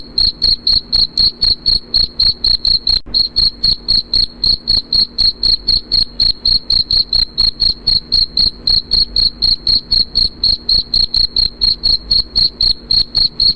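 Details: A cricket's chirp, used to drive away rats and to help with sleep, pulses rapidly at roughly four chirps per second in a high, thin, ringing tone, steady and continuous, alone without background noise.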